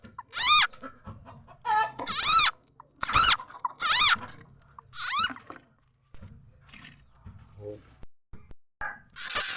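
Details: Khiat cha na frog, known in Lao as khiat mo, its call used as a lure for catching birds, chickens and other fowl: loud, squealing, harmonic cries rising then falling, about five in quick succession, then quieter, scattered notes.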